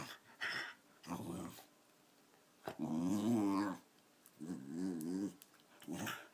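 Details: Patsy, a 13-year-old female Wire Fox Terrier, growls indoors in bursts of wavering, rumbling tones with a throaty warble, separated by short silences.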